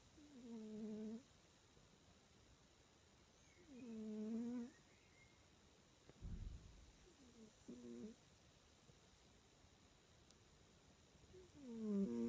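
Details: A sleeping cat, twitching as it sleeps, snores in low, slightly tonal drawn-out breaths that repeat roughly every three to four seconds, four snores in all, with a brief dull thump between them around the middle.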